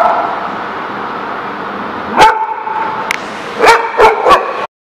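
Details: Recorded at The Barking Lot on 22 September 2017: after a stretch of low background hum, a dog lets out one sharp bark, then a quick run of three barks near the end.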